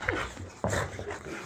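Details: Layla, a female Boxer dog, throws a tantrum indoors because she cannot have a bottle cap; a high whine slides downward, then grumbling, moaning whimpers follow in short bursts.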